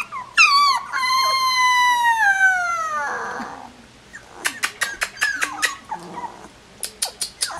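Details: A 16-day-old collie puppy lets out a long, sliding whine that falls steadily in pitch for about two seconds. Scattered sharp clicks and brief squeaks come after it.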